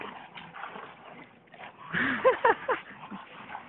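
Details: Two English Bulldogs play tug of war over a water hose, fighting for it. A brief burst of short, strained, rising-and-falling whining yelps stands out over steady background noise, then fades.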